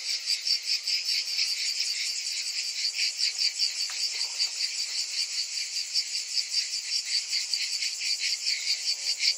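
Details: Cicadas in summer form a dense, shrill, buzzing chorus that swells and fades in steady pulses about two and a half times a second. A few faint, brief lower sounds appear midway.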